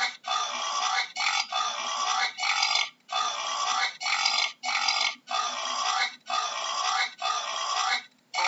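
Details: Wild boar giving harsh, noisy squealing cries in a steady series of bursts, each lasting under a second with short gaps between them, ten or so in a row. No other clear sounds.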